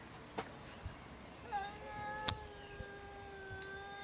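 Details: Two domestic cats making strange noises: one long, steady, droning yowl that is held level for about two and a half seconds, with scattered sharp clicks and taps in the background.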